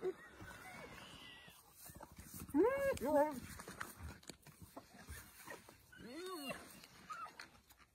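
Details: Arched, harmonic yelps from a wild African spotted hyena come in two separate bouts, a tight group of rising and falling notes midway and a single looping call later, over a steady low background rumble.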